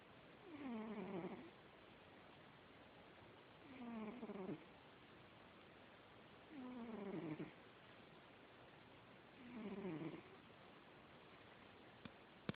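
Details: Heavy 25 lb house cat making its night-time waking sound: four rough, groaning, descending moans, each lasting about a second, repeated roughly every three seconds in a quiet room.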